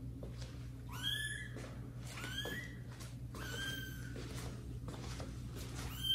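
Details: Young kittens Caramel and Zephyr in a house, meowing as they get acquainted with adult cats Kira and Daddy; three drawn-out, bending meows about a second apart over a steady background hum and light rustling.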